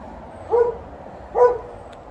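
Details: TJ, a household dog who wants to fetch, complains with a pair of short, matching yips just under a second apart; a soft click follows the second one, over quiet ambient hum.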